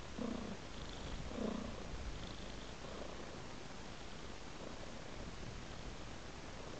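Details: Domestic cat purring contentedly against a flower-decorated pillow: a steady, low, continuous rumble throughout, with a few brief breathy swells near the start.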